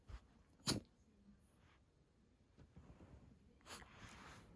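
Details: Shiba Inu that cannot stop sneezing, indoors: one sharp explosive sneeze early on, then quiet snuffling and a second, softer sneeze near the end.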